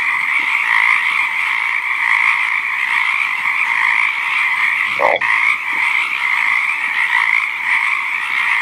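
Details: Dense frog chorus recorded in natural habitat: a steady, continuous trilling wall of sound with no pauses, plus one brief low croak near the five-second mark.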